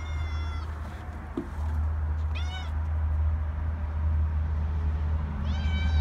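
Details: A cat outdoors gives three drawn-out, high, tonal meows about every two and a half seconds over a steady low engine-like hum.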